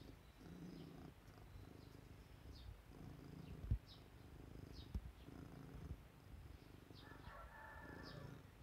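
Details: Domestic cat Ajiko sitting at a second-floor window gazing up at the sky; a low rumbling purr comes in steady rhythmic bursts, while short high bird chirps sound faintly in the background.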